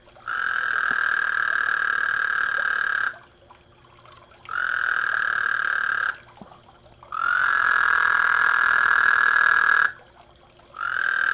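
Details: Noisy frogs calling in a garden pond in 2010, producing a series of long, level buzzing trills, each lasting roughly three seconds and separated by pauses of about a second, four calls heard in sequence.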